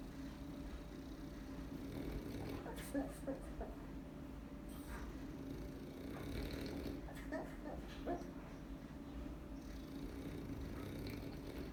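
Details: Chachi, a dog, barking in his sleep: a few soft, muffled woofs in two short clusters over a steady low indoor hum, quiet between bursts.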